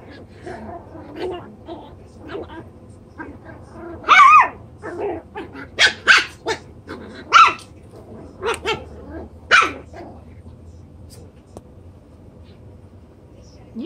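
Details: Chocolate brown Toy Poodle pups at seven weeks, having a blast in a pen just doubled in size, let out a run of sharp, high puppy barks and yaps, loud bursts spaced roughly a second apart with softer squeaks between.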